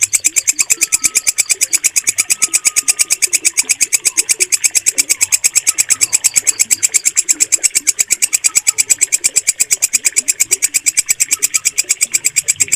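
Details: Walang kecek, a bush cricket, calling loudly with a shrill, metallic pulse train repeated quickly and evenly throughout, kept as a bird-training sound; soft chirps and murmurs sit faintly in the background.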